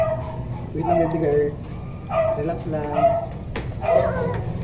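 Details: Toy poodle offered for stud service in Quezon City, Philippines: a few short, high, tonal yips in quick bursts, with background music and a person talking over a low hum.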